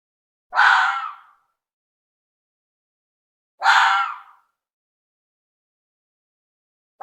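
A female red fox calls to her cubs with rasping, breathy cries that fade away at the end. Each cry lasts under a second and comes about every three seconds, with quiet between.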